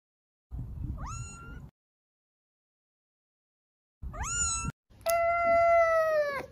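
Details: Cat makes two short, upward-sweeping chirps a few seconds apart, then a long, full meow that gradually falls in pitch, with some soft background noise under the first calls.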